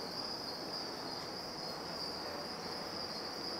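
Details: House crickets in a warm feed-insect breeding facility heated with a fan heater in Taiwan; a continuous high, steady chirring trill with a constant background hum.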